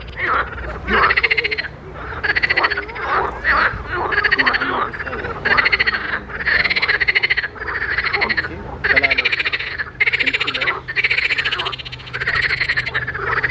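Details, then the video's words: Pond frogs in chorus: repeated buzzy, pulsed croaks about once a second, each a rapid rattle, overlapping voices from several frogs across the whole recording. "grenouilles chantes croasses leurs mélodies des grenouilles dans un etand d'eau"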